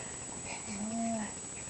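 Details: Pet mouse Scharlett snores in her sleep, giving one smooth, low whistled tone that swells and then fades within about half a second. The background is quiet.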